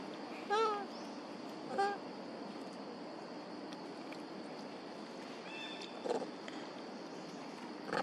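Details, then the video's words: Duchess and Queen, two monkey mothers, crying and calling for their baby Quinton: two clear, tonal coos that rise then fall, about a second apart, followed by fainter calls against a constant hiss. "Amazing Mom Duchess And Mom Queen Huge And Crying Calling Their Baby, Where Is Baby Quinton?"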